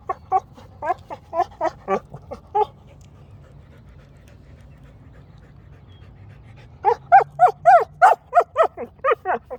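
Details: A female Rottweiler, making noises at her rock, gives quick runs of short, whiny yips and grumbly barks in two bursts.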